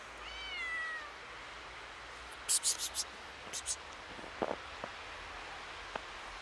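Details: Kitten, a little scared on seeing snow for the first time, gives a single clear meow that starts high and slides downward, lasting about a second, followed by scattered sharp clicks and soft taps in a quiet setting.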